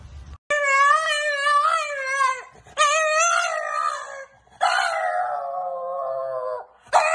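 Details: Pet dog indoors howling in long wavering tones, three drawn-out howls with a slight downward slide at the end, separated by short pauses.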